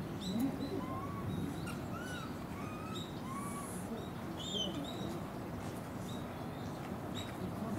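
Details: Several Japanese macaques from a troop at Takasakiyama Natural Zoo, Oita Prefecture, Japan, recorded November 2019, trade brief tonal coos, some low, some higher and squeakier, each rising and falling, over a constant low rumble of wind and distant activity.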